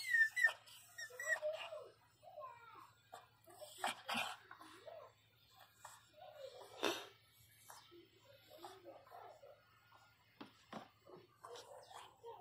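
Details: Pinscher named Teco crying in pain while giving birth: short, high, thin whimpers and whines, often rising or falling, come in irregular bursts with pauses. A soft human voice speaks in Portuguese around them, and a faint low hum runs throughout.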